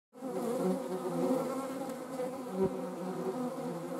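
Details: European hornets hunting honeybees in the Eifel, Germany: a steady, deep wing buzz over a layered drone of several insects.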